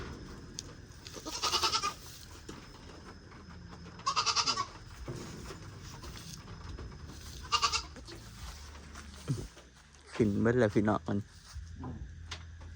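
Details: Newly bought goats, four more added to the herd, heard as scattered bleats roughly every three seconds over steady background noise, with a louder, broken, stuttering bleat near the end.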